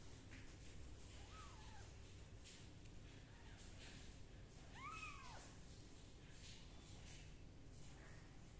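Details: Kittens being dried with a dry towel and a gentle hair dryer indoors; two high, arching meows, the first near the middle and a stronger one later, over a steady low background hum.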